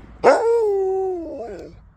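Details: Husky on his 13th birthday, answering when asked what he wants for tea: one sustained, howl-like vocal note that starts with a sharp onset, then slowly falls and wavers before trailing off, in a quiet room.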